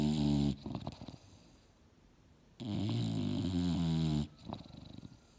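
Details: Mildred the English Bulldog sleeping on the couch and dreaming, sawing logs: deep, throaty snores in long rasping breaths, a brief loud one then a sustained rattling snore, with soft snorts and lip flutters between.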